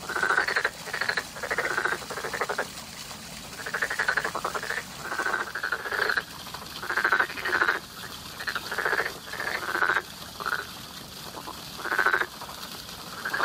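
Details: A springtime frog chorus of many callers, short buzzy pulsed croaks repeated every second or so in uneven overlapping bursts, over a steady low rumble.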